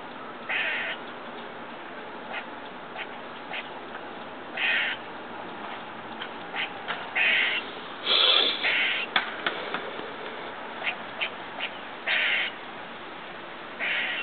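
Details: Squirrel heard from a window next door while eating, giving strange noises: a series of loud, harsh, buzzy calls, each under half a second, irregularly spaced, mixed with many soft clicks over constant hiss.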